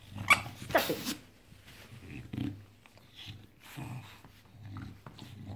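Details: Bulldog on a Saturday morning, giving short low growls and snorty grunts in uneven bursts after a sharp high-pitched squeak near the start, in a small indoor space.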